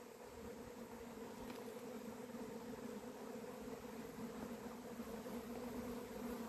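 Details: Honey bees kept by a beekeeper, filmed 28 April 2026 on a day the bees went wild, their swarm later settling: a dense, steady buzzing hum that holds an even drone throughout, with no other clear sounds.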